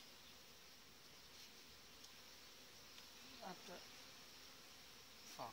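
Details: Inside the hive of a strong July honey bee colony with a breeder queen: a constant mass buzz of many bees, briefly overlaid by a few short voice-like sounds near the end.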